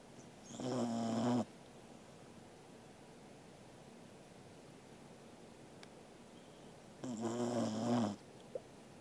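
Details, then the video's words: Corgi named Angela asleep and snoring, recorded 13 August 2021: two harsh, buzzy snores about six seconds apart, each lasting roughly a second, with quiet room hiss between breaths. "Angela is snoring イビキをかくアンジェラさん"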